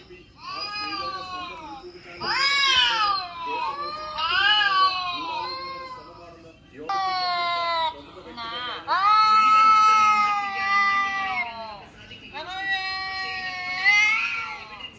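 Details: Recorded kitten meows and cat fight sounds played to a mature cat on a mobile phone: long, sustained, crying meows, some bending sharply downward, others held level for a second or more.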